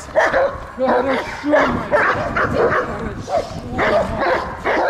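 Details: Belgian Malinois attacking in protection training in Odesa, Ukraine; several sharp barks, some with a whining edge, alternate with human speech in a short exchange.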